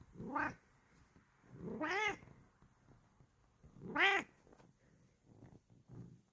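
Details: Bengal cat answering when called by name: three rising-then-falling meows about two seconds apart, the middle and last ones the strongest and slightly rough, followed by soft shuffling and low thumps in a quiet room.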